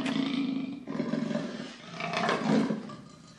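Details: Continuous rough leopard roar lasting over three seconds, deep and raspy, swelling and fading in waves with a louder harsh peak near the end.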